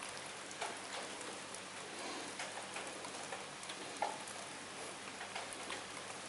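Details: Steady rain patters on surfaces with scattered drop ticks and a single sharper tap, no animal calls present.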